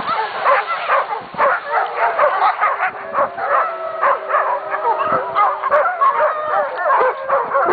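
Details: A pack of dogs howling together, many overlapping wavering tones mixed with sharp barks and yips, voices rising and falling continuously with no pause.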